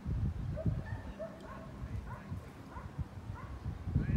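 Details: Belgian Malinois at the seventh working dog trial in Hanoi, Vietnam, giving a run of short, upward-sweeping yelps and whines about every half second, over steady low rumbling background noise.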